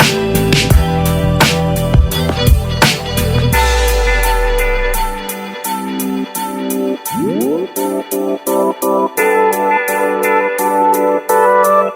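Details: Electronic music with plucked guitar notes, a sliding synth sweep and rhythmic beats, with no animal sounds.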